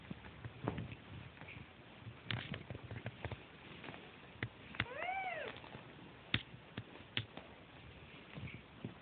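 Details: Sibling kittens searching for their mother cat's milk; a single clear arched mew rises and falls midway, surrounded by frequent soft rustling, clicking and shuffling sounds.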